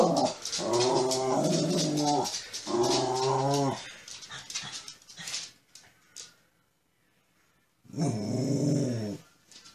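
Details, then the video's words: Dog making long, low, drawn-out growling vocalisations, each lasting over a second with a buzzy harmonic tone, two in a row, then faint rustling and a pause before another growl. "Szczekanie Psa"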